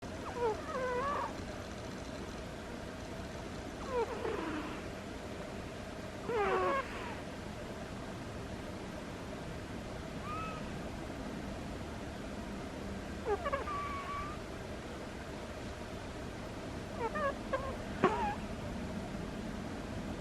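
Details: Butters, a sleeping pet cat, gives squeaky snores: short, high, whistly squeaks with bent pitch, recurring every three to four seconds across the stretch over a steady low room hum.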